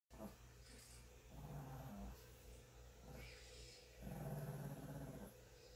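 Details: A 9-pound pet Shih Tzu growling while the household cat grooms her, though she leans in and lets him continue; low rumbling growls in several bursts, the longest near the end, over a steady low hum.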